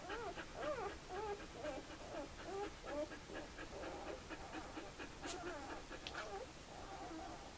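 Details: A litter of two-day-old puppies at Le Domaine des Pertins, Sweet/Elite litter, keeps up a continuous chorus of wavering, wobbling whines and squeals, many pups overlapping, with a few brief clicks.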